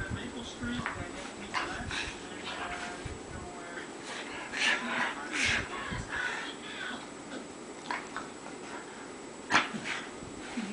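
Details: A female pet dog rolls around on a bed, wanting belly rubs. She makes short, squeaky whining and grumbling bursts at irregular intervals, the loudest near the end, over rustling bedding, with a human voice in the background.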